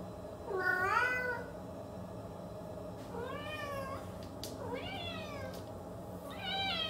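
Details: Cat producing a handful of drawn-out, rising-and-falling meows a couple of seconds apart, with faint clicks and a low background hum.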